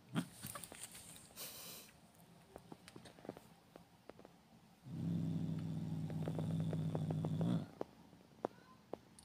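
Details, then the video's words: A domestic cat gives a low, steady, rumbling growl lasting nearly three seconds, growling like a dog, while someone sits beside it. "Limoş, sen bir kedisin. Köpek gibi hırlamaman lazım."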